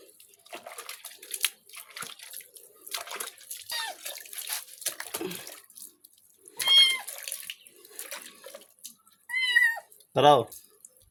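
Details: Pet cat Simbu during a bath, a few short meows spaced apart over running, splashing water and handling noises, with one sharp thump near the end.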